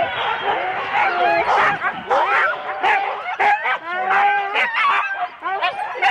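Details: Husky teams of four dogs at the start of a sled run, Rendlesham, January 2016, taped on analogue cassette: a crowd of dogs giving sharp yips and sliding, rising yelps, bursts coming several per second and overlapping.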